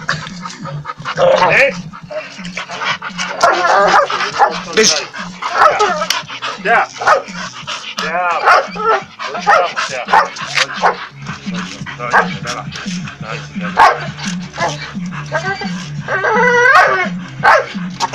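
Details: An English Bull Terrier, refusing to let go during a workout, gives short, harsh barks and yips during rough play, with people talking throughout.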